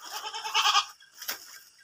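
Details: Kacang goat buck, sold in Indonesia for aqiqah or breeding, gives a loud, harmonic, quavering bleat lasting under a second, followed by a brief sharp click or knock.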